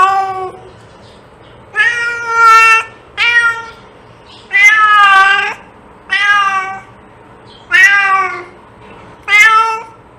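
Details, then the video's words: Domestic cat meowing, repeated drawn-out harmonic meows at irregular intervals of one to two seconds, each falling slightly at the end; quiet low hum in the background. "Cat sound to attract cats"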